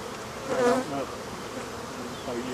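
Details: African honey bees buzzing as their hive is removed from behind a wall and the colony is killed; a low droning hum with layered tones swells briefly near the middle, over faint background noise.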